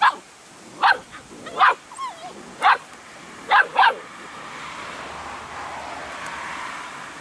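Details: Airedale Terrier puppies from the 2018 B² litter, with a storm outside: six short, high-pitched yips and barks in the first four seconds, a brief wavering whine between them, then a steady windy hiss to the end.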